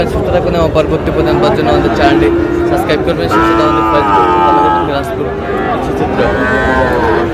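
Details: Sahiwal bull calves being bought at market in Tangail, Bangladesh: drawn-out, steady harmonic lowing with a higher, wavering moo in the middle, over a background of voices and market bustle.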